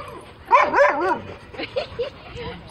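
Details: Female Siberian Husky that likes to talk, or rather yell, gives a wavering, yodel-like vocalization of about half a second. Softer short notes follow, with laughter and Spanish speech nearby.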